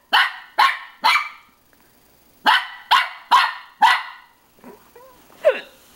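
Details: Pippin, a pet dog, barking at his own reflection in a mirror: three sharp barks, a pause, then four more in quick succession, followed by a couple of softer whining yelps.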